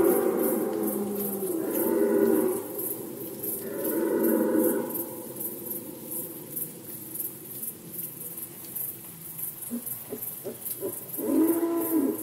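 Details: Red deer during the rut season in Poland, 2020: deep, hoarse roars in three bursts, two long groaning calls early on and a shorter one near the end, with faint grunting between them.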